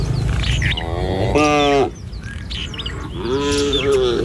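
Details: Tame cattle walking as a herd along a village road one morning on the way to a feeding field. Two short bellowing moos, the second longer and sagging in pitch, with bird chirps in between.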